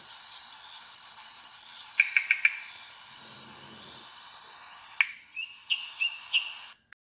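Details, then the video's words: Pererequinha-limão, the lime treefrog, in Brazilian restinga habitat of Rio de Janeiro state: clustered short squeaky notes, then a second burst of rising chirps, set against a continuous high-pitched insect-like chorus. "VOZES DA RESTINGA: Sphaenorhynchus lavicola/ Pererequinha limão"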